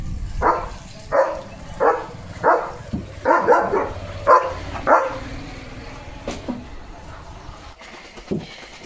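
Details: Leo, a pet German Shepherd, just after his bath while being dried, gives about seven loud, evenly spaced barks over five seconds, then quieter whimpering sounds. A woman speaks in Marathi in between.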